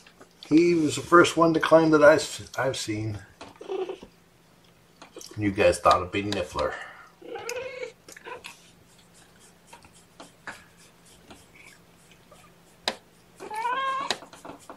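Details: Rescue kittens of mama cat Seraphina, four in the litter, at lunchtime while being handled, October 2018. Mostly human talk, then a short wavering meow in the middle and another higher, rising mew at the very end.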